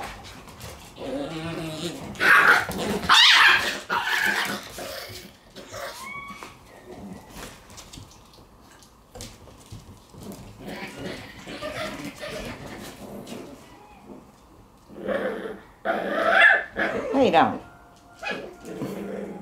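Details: Shiba Inu puppies at play with siblings indoors, their last day together before one goes to a new home; bursts of yips and small barks, then a quieter stretch, and another yelping bout near the end.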